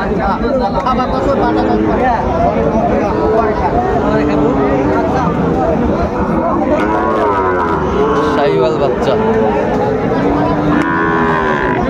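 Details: Sahiwal bull calves and other cattle at a busy cattle market in Chittagong, Bangladesh, 16 September 2024; repeated low, drawn-out moos overlap one another, with crowd chatter and men's voices throughout.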